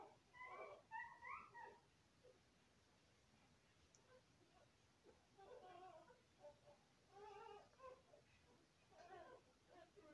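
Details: Golden Retriever puppies feeding from their mother; soft, thin whining squeaks in short clustered bursts, roughly three per second at times, separated by quiet pauses in a small indoor room.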